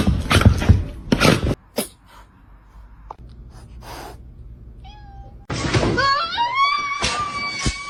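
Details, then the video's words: Domestic cat meowing indoors: after a stretch of bumps, rustling and quiet room noise, a few drawn-out, wavering meows that rise and fall, the last ones overlapping. "cats meowing"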